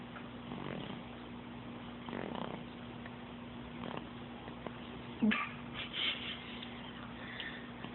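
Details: Pet cat Sophie snoring and purring, June 2012, phone recording; breathy rumbling swells arrive every second or two, mixed with a few sharp clicks and small knocks in a quiet indoor space.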